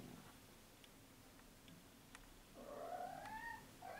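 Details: Lucy, a 15-year-old female cat in her final days before death, indoors. A quiet room gives way to a single drawn-out, rising, tonal meow in the second half, ending in a faint short call.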